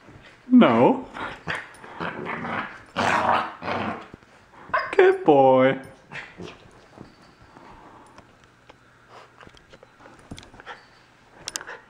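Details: A young male Corgi, unhappy with a new collar, lets out a short rising yelp, then a longer wavering whine-howl after a stretch of a person speaking; quiet shuffling follows.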